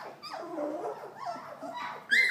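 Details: Collie puppies, three weeks old, indoors in a living room, give thin whimpering whines that rise and fall, ending in a sharper high yelp; a woman speaks softly nearby.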